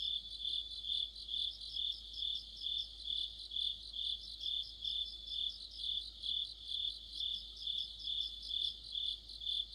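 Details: An autumn insect chorus led by crickets. Bright, high chirping swells in regular beats roughly every half second, with softer overlapping chirps above and a faint low rumble beneath.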